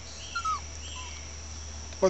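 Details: Female pet Chihuahua whining because her owner is outside the fence and she is not. Two thin, high, falling whimpers, one brief and faint, over a steady electrical hum, followed by a woman's voice.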